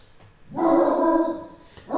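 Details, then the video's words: Ollie, a huge pet Great Dane, barking in the room behind his owners during an indoor live stream: one deep, drawn-out bark lasting about a second, with another starting at the end. "Of course. Ollie's barking right behind us and not going out."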